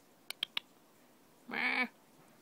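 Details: A domestic cat gives a single short, nasal meow lasting about a third of a second, preceded by three quick clicks in a quiet indoor setting.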